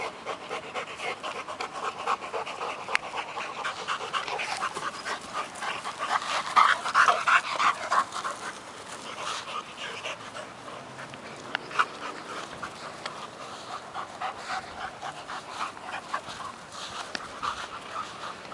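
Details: Working Mastiff pup Nobi, 10 months, and eight-year-old Bull Terrier Tasha tussle over a stick; steady fast panting, about three breaths a second, growing louder and more strained midway before easing.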